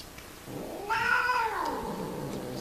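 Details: Mating cat gives one arched caterwaul that swells, peaks in a strained, whining tone, and slides down into a low moan over about two seconds.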